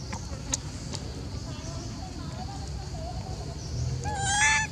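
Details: Elpida the macaque, upset and seemingly jealous as old female Susie gets fed, lets out one loud, quavering harmonic call near the end, after a stretch of quiet low rumble and faint thin tones.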